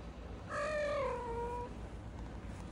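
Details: Single drawn-out meow from a home where a calico mix cat mothers a brown tabby kitten named Lulu; the tone swells, holds, then slides downward and fades, with steady low room noise behind.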